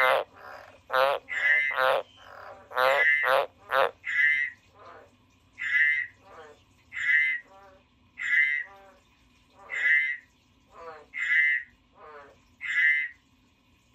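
A frog gives short, pulsed, rasping croaks, repeated roughly every one and a half seconds.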